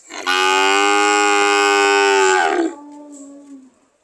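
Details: Cattle described as ready to leave, giving one long, loud, steady moo lasting over two seconds, rich in harmonics, ending with a short quieter lowing tail.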